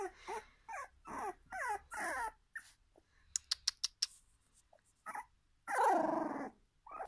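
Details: Jack Russell terrier making a run of quick, falling whines and yips, then a few sharp taps, ending in a longer rough, growling whine.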